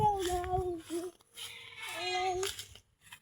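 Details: A small child sings and babbles indoors in a small room, a high wavering voice with short pauses and no animal calls.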